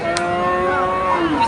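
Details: Local bull at a cattle market in Omarpur, recorded 6 May 2025; a sustained low moo with steady harmonic bands through the whole clip, a brief click near the start, and market murmur in the background.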